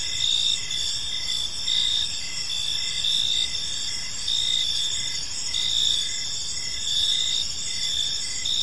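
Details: Crickets in a park at evening, layered high-pitched chirping with regular pulsed bursts about once a second riding on a steady trill, calm ambience with soft distant low noise.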